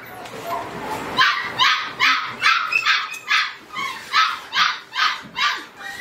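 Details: Red-brown Border Collie barking steadily, about ten bright, sharp barks spaced just under half a second apart, with faint background murmur before they start.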